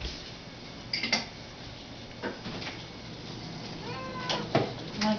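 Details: Pet cats indoors talking: a short, faint rising meow with a harmonic sweep near the end, among light knocks and room noise.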